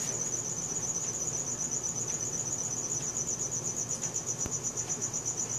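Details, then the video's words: Nocturnal cricket calling, filmed on a Samsung Galaxy S4; rapid, even high pulses form a continuous ringing trill over quiet low rumble. "CRICKET SOUNDS | RELAXING SOUNDS OF NATURE AT NIGHT"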